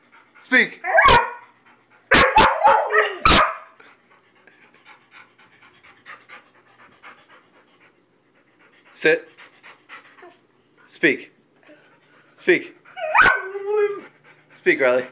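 Weimaraner and Vizsla dogs bark in loud, harsh clusters separated by pauses, some barks rising into a strained yelp. A person's voice repeatedly urges them on between the barking bouts.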